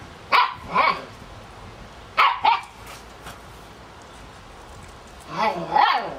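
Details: Kicsi x Sunny puppies at seven weeks give clear high yapping barks in three paired bursts a couple of seconds apart, each bark a quick bright double note, over faint background hiss.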